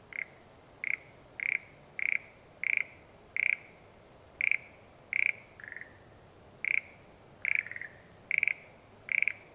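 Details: Frog in rural satoyama countryside, sounding about fourteen brief pulsed croaks at a steady high pitch, spaced a little over half a second apart, with one softer, lower note midway. Background otherwise still.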